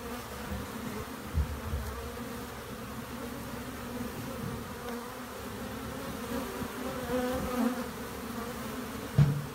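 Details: Honey bees massed in a shed, under the floor joists, give a steady low droning hum that holds without a break, while people talk quietly nearby.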